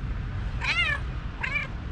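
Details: Talkative fluffy female tabby cat in Istanbul meowing loudly as if telling her owner something: two drawn-out harmonic meows that bend up then fall, the second shorter, separated by about half a second over low room hum.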